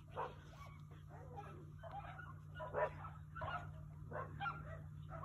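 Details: Three coyotes playing or fighting just feet away give irregular short yelps and whining yips, spaced unevenly, with a persistent low-pitched hum underneath.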